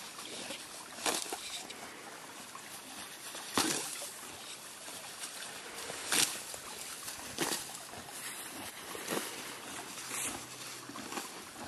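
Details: Billy the horse eating green grass at a creek: sharp, crunchy bites and tearing sounds roughly every second, against a steady hiss of flowing creek water.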